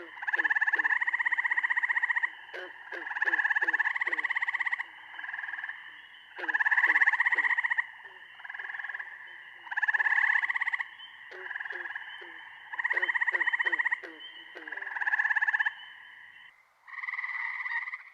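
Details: Eastern gray treefrogs of the Chicago region, calling in May at the peak of their late-April-to-late-June season, give slow, musical, flute-like, bird-like trills, each burst one to two seconds, repeated steadily.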